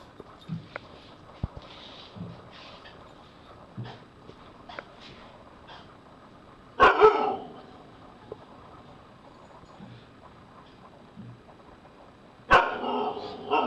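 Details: Taz the Husky watches the horror film Paranormal Activity 2 and gives two sudden, loud, harsh vocal bursts about six seconds apart. Quiet soft sounds, faint clicks and low murmurs fill the gaps between them.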